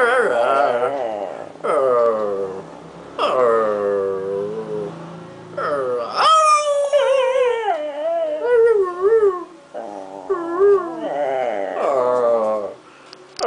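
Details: Toninho, a small pet dog, 'talking' with its owner indoors: about six drawn-out, whining, howl-like phrases with wavering, bending pitch, some rising and falling in quick wobbles, separated by short pauses.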